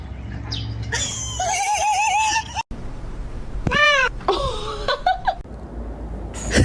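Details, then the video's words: Frightened pet cat indoors giving drawn-out wavering meows, one long quavering cry followed by shorter arched harmonic calls, amid room noise and cuts between scenes. "Fears of Sonya's cat"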